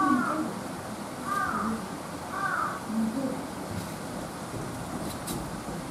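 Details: A Japanese macaque at Higashiyama Zoo, filmed around December 2020 while drowsily nodding off, gives short, arched, tonal calls about once a second over a steady background hiss.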